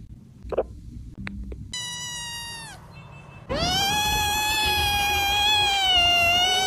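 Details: A kitten's cries after a few soft clicks: one falling meow, then a long, loud, steady meow held for over three seconds with rich overtones.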